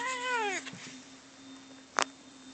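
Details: Pet cats Bono and Mickey mid-fight: a strong, sustained yowl bending slowly downward for half a second, followed by quiet and a single sharp thump, over a low electrical hum.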